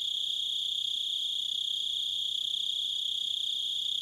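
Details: Crickets in a nature recording give a continuous, high, steady chirping trill with a bright overtone above it. The rapid pulses run evenly throughout, with no other sounds clearly audible.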